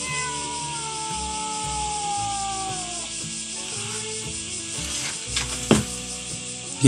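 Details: Domestic cats at a seaside spot in Japan, hesitating on a doorstep while a man coaxes them to come up; a long meow gliding slowly downward over about three seconds, with background music throughout and clicks near the end.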